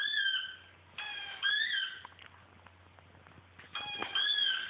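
A Siberian Husky gives high, drawn-out tonal howls in three bursts, each bending up and then down.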